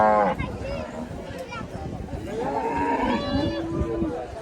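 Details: Cattle at a cattle and goat market held on a primary school field on a hot day, giving drawn-out harmonic lowing moos, one falling and one rising, with a murmur of people and market noise behind.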